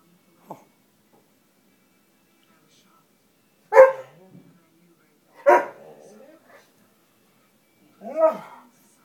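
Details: Two-year-old female Greater Swiss Mountain Dog talking a little while stretching, giving a few short, separate grumbling vocal bursts spaced several seconds apart, each with a rising and falling moan-like tone, in an otherwise quiet room.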